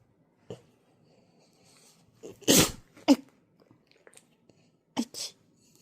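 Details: French Bulldog puppy lying snug under a blanket gives one sharp, explosive sneeze mid-way, framed by short snorting puffs and sniffs before and after, in a quiet indoor room.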